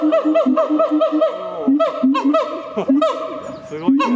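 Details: Siamang calling at night: a fast series of loud, harmonic honking notes repeated about five times a second, then broken, rising and falling barks with a few overlapping voices.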